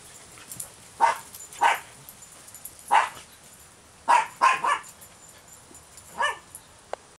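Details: Pet dog doing virtual hunting, giving about seven short, sharp yips and barks at irregular intervals, some in quick pairs, over a quiet background.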